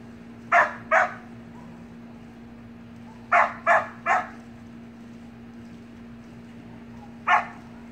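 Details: Samoyed puppies at play in a pool bark in brief clusters, two yaps, then a run of three, then a single bark, with a constant droning hum underneath.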